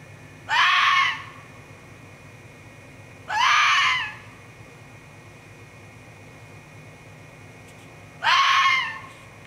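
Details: A vixen fox screaming at night in a forest, heard outside a bedroom window on 27 May 2014 during the mating season; three harsh, piercing, strained screams come roughly every three to four seconds, with quiet background between them.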